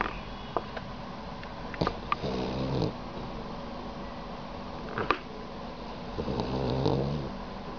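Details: Tongue-out sleeping dog snoring twice, each a low, rattling, purr-like rumble lasting under a second, spaced about four seconds apart, with light clicks in between.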